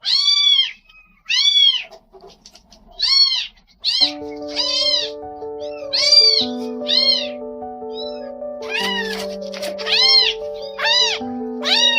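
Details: Newborn stray kittens, rescued after being abandoned in the rain, give loud, high meows in bursts for about four seconds. Soft instrumental music then comes in under further meows.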